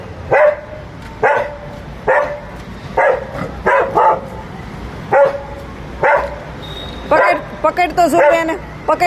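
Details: Labrador Retriever pet dog barking in play; a steady run of short barks roughly once per second, then a person's voice speaking over the final seconds.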